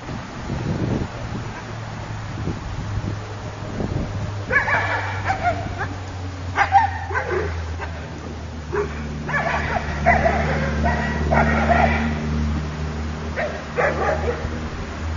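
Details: Sparticus, a young Akita puppy, lets out clusters of high yips and whiny barks, loudest in the middle and latter part, over a steady low mechanical hum.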